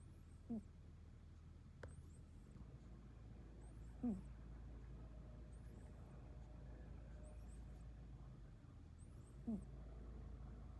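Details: Sleeping British Longhair cat producing three brief, sharply falling snorts spaced several seconds apart, with a constant low hum and a faint click in between.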